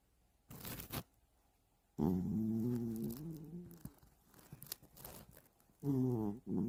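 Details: Indoor cat asleep for hours in a hide house, snoring; a long, low, rough snoring breath is followed by softer breathing and another snore starting, with a few rustles and taps nearby.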